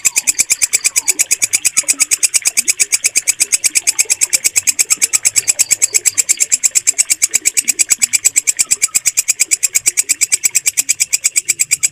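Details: Steady shrill chirping of a walang kecek bush cricket, recorded cleanly as a mastering track for songbirds: sharp high pulses about seven per second, unbroken for the whole stretch, with a faint murmur of other sounds beneath.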